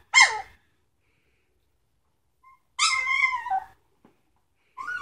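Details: A three-week-old Samoyed puppy of the Sitka and Izzi litter lets out a piercing yelp, then a longer drawn-out wavering cry that falls in pitch, and another starting cry at the close.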